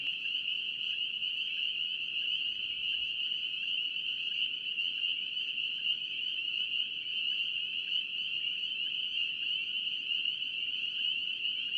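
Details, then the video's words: Dense North Carolina spring peeper chorus, dozens of high thin peeps overlapping into a steady ringing wall of sound, some individual calls flickering through, steady throughout nearly twelve seconds. "8 Hours of NC Peeper frogs to fall asleep to"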